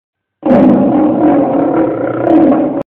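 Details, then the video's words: Domestic cat giving a sustained, harmonic roaring wail lasting over two seconds, steady and loud throughout with a slight rise near the end; no other sounds. "Cat Roaring"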